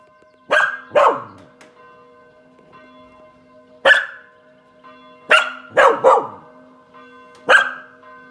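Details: Kasper, a Spanish Water Dog, on a sunny balcony on Saturday at 18:00, barking at church bells: sharp single and double barks spaced irregularly over steady ringing bell tones in the background.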